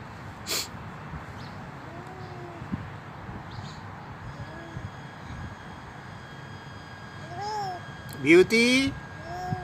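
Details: A hungry old stray cat that is not afraid, crying for food at a doorstep. Several soft, short, bent meows are spaced through the recording, with a louder, strained cry near the end and a few sharp clicks.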